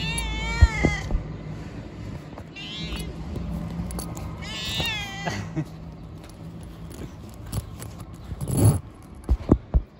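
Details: Homeless street cat, said to have Down syndrome, meows repeatedly while being offered food: a clear meow, then two shorter, higher, wavering cries a couple of seconds apart, over quiet outdoor noise and scattered clicks.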